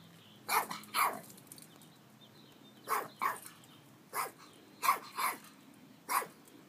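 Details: Chihuahua rat terrier guarding a house in Palm Springs; sharp barks in loose pairs and singles, about eight over nearly seven seconds, separated by pauses, with a quiet background hum.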